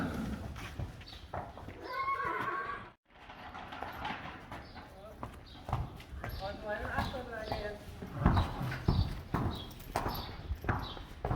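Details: Friesian horses on a farm: a protective mare and her newborn filly on its first day of life. Wavering, quavering whinnies sound near two seconds and again around six to seven seconds, amid clip-clopping hooves and people talking.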